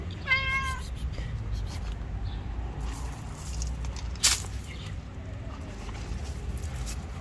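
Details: Angry white cat that would not let anyone come near it gives one short, clear, harmonic meow early on, then falls quiet against a low outdoor rumble, with a sharp click midway.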